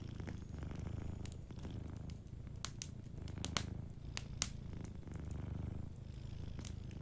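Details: A sleeping cat purrs softly by a fireplace. Its low rumbling purr rises and fades in breathing cycles every second or two, under sharp crackles and pops from the fire.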